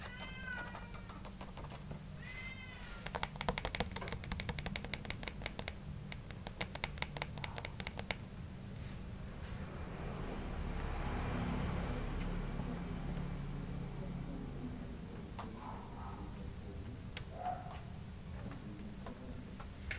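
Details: Two kittens compete to drink milk at night; two short, high, harmonic meows open the scene, followed by rapid clicking and scratching and a low steady hum, with broad rustling noise in the middle and faint squeaks near the end.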